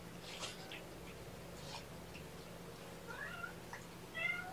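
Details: Kittens of mother cat Seraphina, four rescued from a Lewis County, WA shelter, indoors at lunchtime: a few thin, faint mews with rising harmonics near the end, over a steady low hum and soft handling noises.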